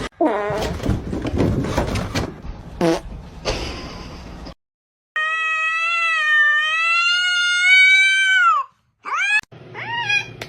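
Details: A pet cat, from a compilation of funny cat moments, lets out one long, steady meow lasting about three seconds that bends slightly upward and then drops away, with a short second meow after it and noisy handling sounds before.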